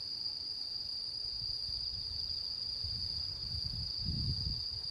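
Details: Japanese autumn insects on the harvest-moon night of 10 September 2022: a sustained high, level ringing trill continues throughout while soft low rumbling thuds, likely wind or handling, swell toward the end.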